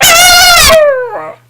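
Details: Female pet dog Sweetie singing on request: a loud, harsh, strained burst opens, then narrows into a clear tone that slides steadily downward, ending with a short wavering yelp, while a person repeats "sing" around it.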